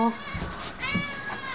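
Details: Pet cats told to sit before dinner indoors; two short wavering meows in quick succession, the first sliding upward then falling, with a person praising and giving commands nearby.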